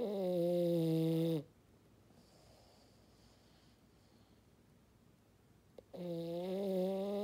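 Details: Fog-horn snoring from Maddi, a French Bulldog: a droning snore ends, a few seconds of near silence follow, then a small click and another loud, sustained tonal snore begins.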